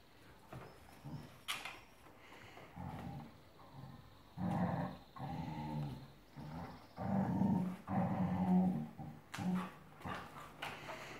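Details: Dog growling while playing tug-of-war indoors, low rough growls coming in short bursts about once a second, with quiet rustling and thumps between them.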